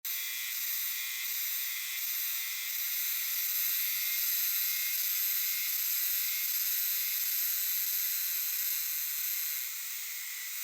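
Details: Euterpnosia chibensis cicadas chorusing in dark shrine and temple woods, a dense continuous buzzing wall of sound with slowly swelling pulses about four per second, many insects overlapping into a steady shimmering hiss.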